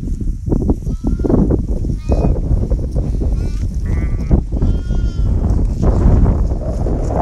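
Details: Sheep bleating during winter in the Himalaya while a shepherd calls the flock: several short tonal, wavering bleats stand out over constant loud rumbling wind and handling noise.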